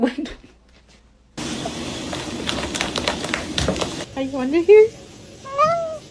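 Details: A pet cat, searched for indoors, gives several short rising and falling meows after a stretch of broad rustling noise; a person's voice is heard briefly.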